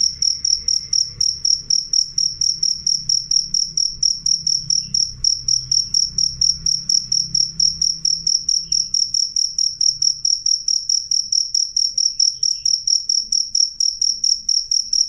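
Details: Loud, clear chirping of a cricket: rapid, high, ringing chirps repeated about four times a second without pause. A faint low rumble is heard early on.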